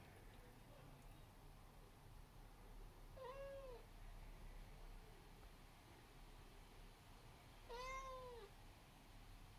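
An Abyssinian cat gives two drawn-out meows, each bending up and then down in pitch.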